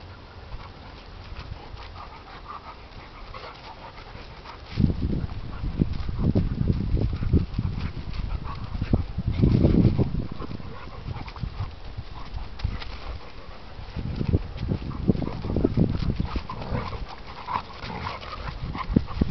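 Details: Two dogs fighting, an English Pointer against a German Shorthaired Pointer: quiet breathing opens, then rough low growling and scuffling bursts erupt from about five seconds, peaking near ten seconds and returning in later surges.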